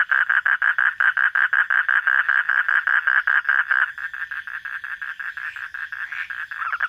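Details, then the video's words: Night-time frog calling: a fast run of loud, short mid-pitched pulses for about four seconds, then softer, quicker and more continuous pulsing that swells again near the end. "hunting for frog sounds at night"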